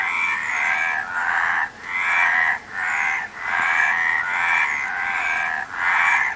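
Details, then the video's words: Frogs calling in a dense chorus: harsh, mid-pitched croaking bursts of roughly half a second to a second, overlapping and following one another almost without pause, with brief dips between groups of calls. "Frog Sound"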